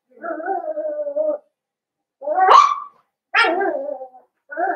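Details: Blenheim Cavalier King Charles Spaniel puppies, one of a five-pup litter born at New Year, in an indoor puppy pen: a drawn-out level whine, then sharp rising yelps that slide down into whimpering howls, loud and close.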